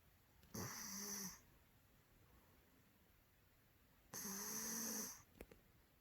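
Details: A male Maine Coon cat snores loudly, each rasping breath lasting about a second.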